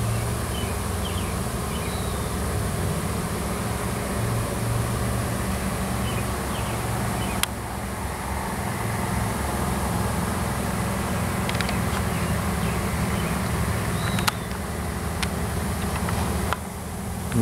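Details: Honey bee swarm on a farm in Washington, a new queen with worker bees seeking a new nest; a constant low hum runs throughout, broken by a few sharp clicks and knocks.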